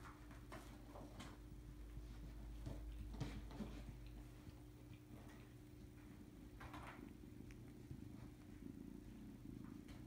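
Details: Domestic cat indoors at a kitten nursery, purring quietly as a low, steady rumble through the first seconds, under scattered soft taps, rustles and handling noises in a small room.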